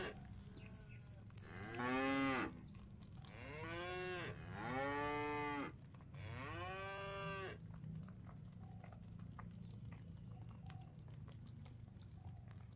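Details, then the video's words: Village cattle herded back to the pen, with three long drawn-out moos about two and a half seconds apart, each swelling and fading, followed by quieter background rumble. "Mengembala Sapi Lembu Jinak dan lucu untuk Pulang ke kandang ramai-ramai"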